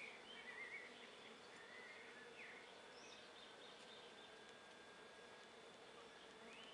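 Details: Around an empty nuc top bar hive, visiting darker honey bees keep up a constant low hum on a warm 24 °C afternoon, louder in the first second, with a few soft bird chirps overhead.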